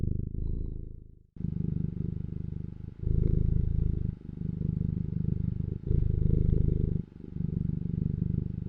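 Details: Loud close-up domestic cat purr, a very deep rumbling buzz in long breathing pulses of one to two seconds, with faint handling noise at the start.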